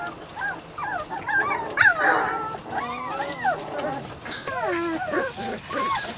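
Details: Weimaraner and Weimaraner x Vizsla puppies from Biscuit's litter, 3-4 weeks old: a busy chorus of overlapping high whimpers and squeals, bending up and down, several pups crying at once with small thumps.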